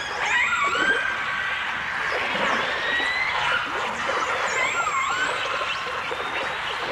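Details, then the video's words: Dolphins, with orcas, in a 1989 stereo recording: overlapping whistles that sweep up and down, some rising to high thin tones, others curving downward, over a steady hiss of underwater noise. "The Enchanting Sounds Of Dolphin Song (Dolphins & Orcas)"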